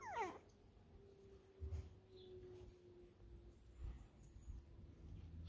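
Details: Five-week-old Border Terrier puppies on a hot day; a single sharp whine opens, sweeping steeply downward from high to low, then only soft shuffling, faint thumps and a steady low hum fill the rest.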